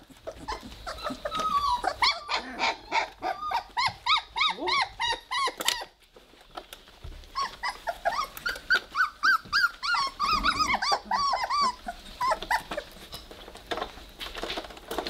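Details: Weimaraner puppies, three weeks old, play-fighting indoors: a nearly continuous stream of high, squeaky growl-whines, rapid and uneven, with a brief lull partway through before the noisy scuffle resumes.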